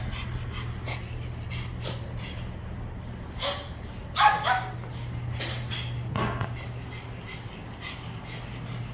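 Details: Small dog brought in for grooming at a pet salon, where golfer Jang Ha-na's dog also visits: soft breathy panting with one brief squeaky whimper midway, steady low hum and faint voices throughout.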